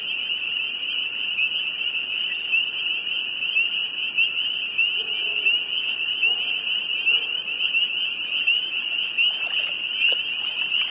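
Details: Spring peeper frogs in northern Vermont, a chorus that grows more frenzied in the evening at the height of peeping; a dense, continuous wall of high peeps from many frogs overlapping without pause, with a few faint clicks near the end.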